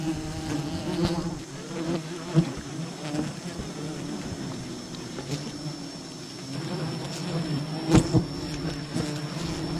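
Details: Honey hunting at a wild bee colony: a dense low buzzing swarm drones on with rising and falling intensity, punctuated by a few sharp taps and a faint steady high tone.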